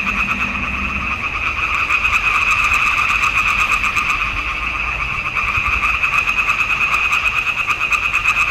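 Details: Frogs calling together from a pond in a swamp in June 2021, rapid rattling pulses layered into a constant two-toned drone, slightly swelling and fading, with a faint low hum early on.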